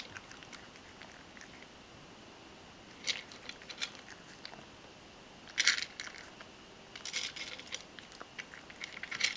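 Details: Ragdoll cat named Mojio crunching dry food and chewing it well. Brittle crackling bursts come near three and four seconds, a loud crunch just before six seconds, then a run of smaller crunches toward the end.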